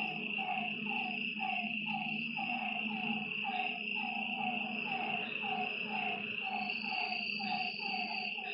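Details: Night frog chorus at a lakeside: short, slightly falling croaks repeat about every half second, layered over a constant shrill insect trill and a faint low hum.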